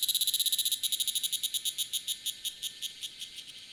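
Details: Tanna cicada call from the Taitung mountains of Taiwan, 1000 m up: a hurried series of sharp high pulses that begins loud and gradually slows, spreads apart and fades toward the end.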